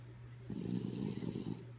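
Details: A single gravelly, fluttering snore of about a second from Kaya Boo, a sleeping dog, rising out of a constant low hum and ending abruptly.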